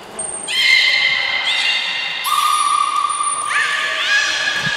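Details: Aquarium belugas Taanya, Nana, Mirai and Niko in training at Port of Nagoya Public Aquarium on 11 July 2020. Overlapping sustained harmonic whistles, one steady lower note and a later upward-swooping call, sound alongside short high-pitched pure tones.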